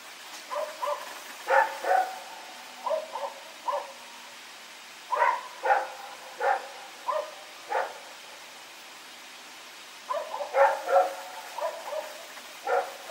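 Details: Rex the dog barking at night while running around, recorded September 21, 2018: repeated runs of short, sharp barks, several in each burst, with brief gaps between bursts.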